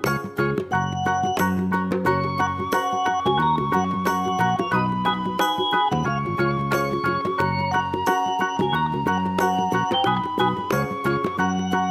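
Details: Upbeat tinkling instrumental music plays throughout with no animal sound.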